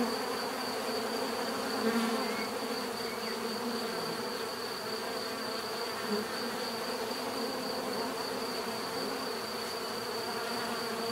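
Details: Continuous hum from a crowd of bees, low droning bands with brief louder passes near the start and midway, over a faint steady high-pitched whine.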